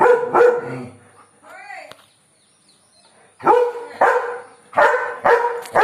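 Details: German Shepherd named Joy barking aggressively at birds; loud broken barks in quick bursts, a pause with a short whining sound, then more clustered barks.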